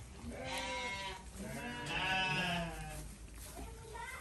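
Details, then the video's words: Two drawn-out, quavering bleats from a goat at feeding time, the second louder and longer, separated by a short gap, with people chatting nearby. "Kasih makan kambing"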